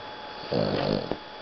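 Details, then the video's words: Boston Terrier named Rocket snoring while napping after playing in the hot sun: one buzzy, harmonic snore lasting about half a second, with a brief click after it and quiet background. "Boston Terrier Snoring"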